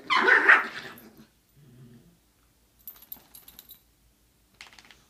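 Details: Chihuahua mix dog, one of three shown, giving a loud harsh bark burst in the first second, followed by a softer low grumble, then quiet clicking and tapping sounds indoors.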